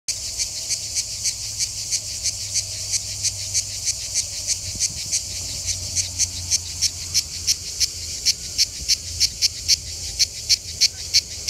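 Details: A manna cicada (Cicada orni) sings at a rest area south of Lyon in the Mediterranean summer, giving a steady series of sharp, high, raspy pulses, about three each second.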